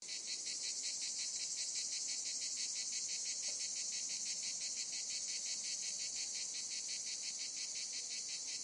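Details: A cicada in summer fields gives a continuous, high, pulsing buzz, the adult male's loud mating call to attract a mate.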